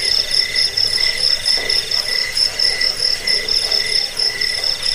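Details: Crickets offered to scare off rats, help sleep and tutor cage birds; a shrill continuous trill with short pulses repeated steadily, one brief lower rustle midway.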